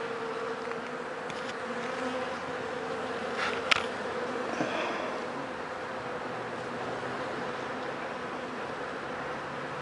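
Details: Honey bees humming as their hive is opened to check whether the colony is sick, after four days of rain left many wet dead bees at the entrance; a steady, even drone fills the whole stretch, broken by one sharp click midway.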